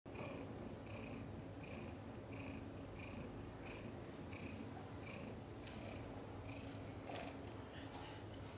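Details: Mother cat Chan in labour, delivering five kittens indoors, some born backwards; a soft, rhythmic purr pulses in regular bursts about every two-thirds of a second over a steady low background hum.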